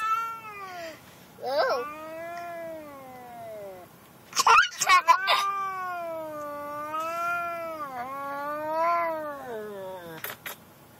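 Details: A vocal pet cat, angry while riding in the car to the vet; long drawn-out wavering yowls, rising and falling in pitch and lasting several seconds each, broken by a few sharp clatters and a child's voice nearby.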